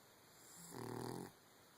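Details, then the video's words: A dog snoring while asleep in bed with its paws crossed: a single rasping, rumbling breath lasting about half a second, with low harmonic bands, against a quiet indoor background. "Paws crossed and snoring in bed."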